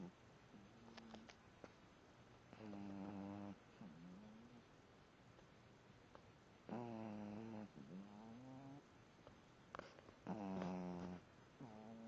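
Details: A young female puppy snores while asleep indoors: drawn-out, nasal, harmonic whines rise and fall with each breath, with about four voiced breaths in twelve seconds and faint short clicks between them.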